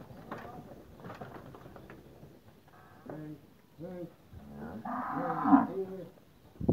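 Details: Several Nelore and Anelorada cows, some recently calved and others pregnant, in Novo Horizonte, São Paulo, Brazil. After rattling and shuffling noises, short low moos follow one another, then overlap into a louder, rougher bellow near the end.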